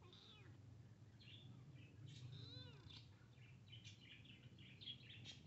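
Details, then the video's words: Kitten meeting a big cat: a few short, wavering meows with arched tones in the first three seconds, then high, quick chirps from birds over a steady low background hum. "Meowing to Attract Cats Kitten Meets Big Cat"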